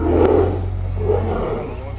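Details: Two tigers play fighting at Copenhagen Zoo roar at each other: a deep, rough, broad roar with a short burst near the start and a second swell about a second later, over a steady low hum.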